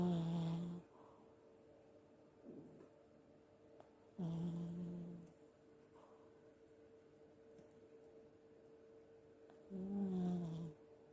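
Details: Old Pomeranian asleep and snoring, its legs sometimes twitching as if running in a dream: three low droning snores about four to five seconds apart, softer breaths between, a faint steady tone in the room.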